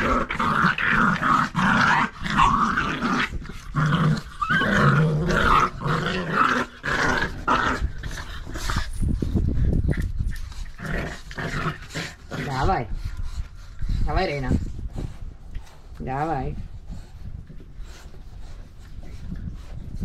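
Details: Staffordshire Bull Terrier puppies, nine weeks old, playing tug with their mother indoors: dense rumbling growls fill the first ten seconds, followed by a few sharp yips and short whiny cries, with a woman's voice urging them on.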